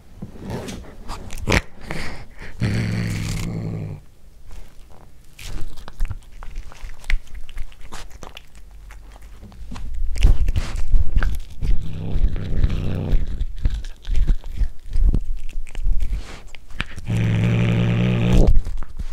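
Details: Domestic cat growls while chewing its first corn, filmed indoors on a Panasonic DC-GH5. Low rumbling growls come in three separate stretches, with rapid crunching and mastication clicks filling the gaps between them.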